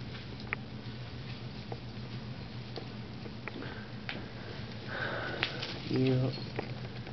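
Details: A pet ferret exploring a Christmas tree indoors, curious about the new object, gives soft, quick sniffs over a steady low room hum, with a brief human voice near the end.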